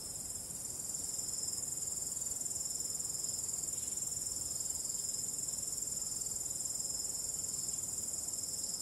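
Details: Night crickets under a starry sky with calm wind: a continuous, shrill, high trill with fast even pulsing, rising slightly in loudness after the first second and then holding steady throughout.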